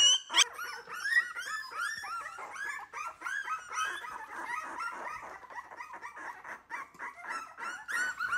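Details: Wire-haired miniature dachshund puppies, a three-week-old litter learning to eat food not served by their mother, indoors: a continuous chorus of high whining whimpers and yips from several pups, overlapping and rising and falling, with a woman speaking softly.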